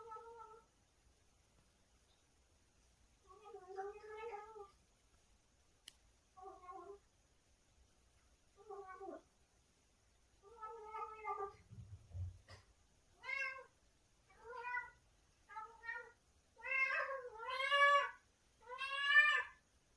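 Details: Cat voicing strange noises while eating something tasty: a string of short, rich meows about every second, growing louder and brighter toward the end, with a low thump near twelve seconds.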